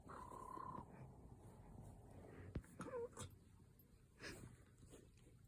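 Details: Cat making a funny sound: a short, steady, tonal mew at the start, then a brief squeaky upturned note about three seconds in, with scattered clicks and soft rustling between.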